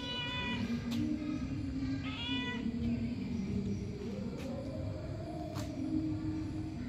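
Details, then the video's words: Two quick meows from a cat near the start, then only a steady low hum with faint clicks, followed by a woman speaking Marathi. "Cat's Voice"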